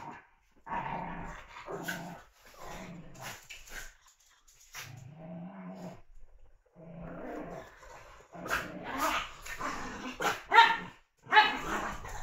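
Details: Playful puppies growl in short separated bouts: low buzzy rumbles, one longer steady growl near the middle, then louder sharp yelping bursts toward the end, with quiet gaps between.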